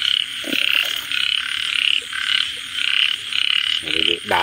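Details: A frog gives a run of short rattling croaks, each burst a quick buzzy trill separated by brief pauses. A low hum persists throughout, and a deeper, harmonic-rich sound cuts in just before the finish.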